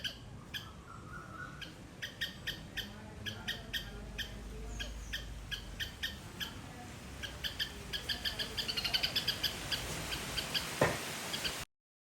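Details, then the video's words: Sri Lankan garden squirrel producing a loud run of sharp, metallic chirps, roughly four per second, steady at first and then quickening and crowding together before stopping abruptly. "Loud Squirrel sound"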